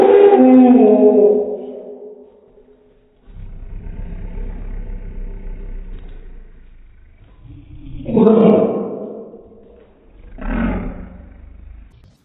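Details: An annoyed dog barks at an American Staffordshire Terrier puppy, possibly a rat terrier–chihuahua mix, slowed into deep, drawn-out booming woofs.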